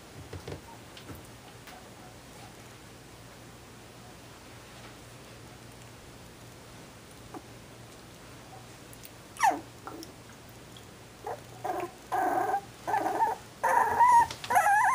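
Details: Shetland Sheepdog puppies born 18 December 2012; after a long quiet stretch, a few soft squeaks give way to a run of drawn-out, tonal whimpers repeating about once a second near the end.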